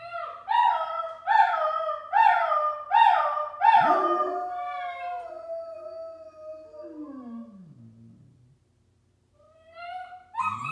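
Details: Doberman howling softly to soothe a crying puppy indoors after the owner left the room; a series of rising, wavering howls repeated roughly every second, then a longer sliding howl, a pause, and a short voice at the end.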